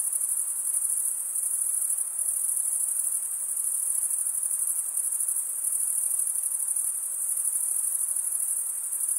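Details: A relaxing, unchanging wall of cricket song: a high-pitched stridulated trill that runs without pause or variation, quiet and free of other noises.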